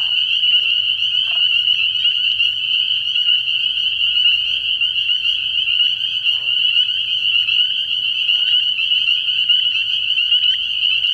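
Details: Night chorus of many spring peepers at a frog pond in early spring, a continuous piercing high-pitched trilling mass of overlapping peeps holding evenly throughout, with faint low murmuring beneath.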